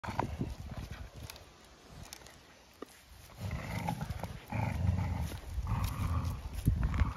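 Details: Two farm dogs on a regenerative farm in County Kilkenny, Ireland, tugging at a scrap of timber during a morning game while trotting side by side. Quiet at first, then rough, low growling comes in bursts through the second half.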